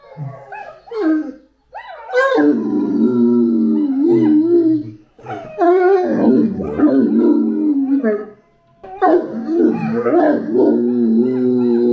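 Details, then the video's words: Great Dane howling, long wavering, slurred howls with rising starts and sliding falls, in three bouts separated by short pauses, with voices mixed in. "Uma Historia de Uivos e Latidos! - Dogue Alemão"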